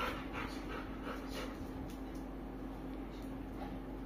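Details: Kulfie the Labrador Retriever gives a run of fast breathy pants that fade after the first two seconds into a quiet room hum.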